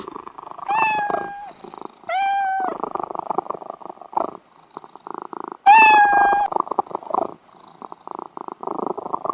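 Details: Domestic cat purring steadily in fast, rough pulses, broken by three clear meows that hold level then dip slightly at the end, each lasting under a second.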